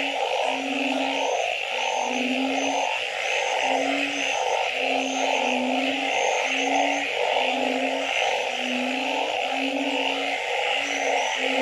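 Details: Frogs at night: short deep tonal notes repeated roughly every second, with a few high chirps above and a steady background hum of massed trilling calls.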